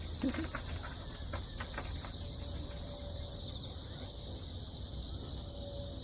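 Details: Crickets calling after a typhoon over damp ground: an unbroken high shimmering trill, with a few short taps and brief voice sounds at the start and a faint low hum throughout.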